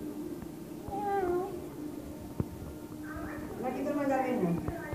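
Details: Pet cat wanting privacy, meowing indoors: a drawn-out harmonic meow falling in pitch near the first second, then longer wavering meows toward the end, mixed with a woman speaking Spanish nearby.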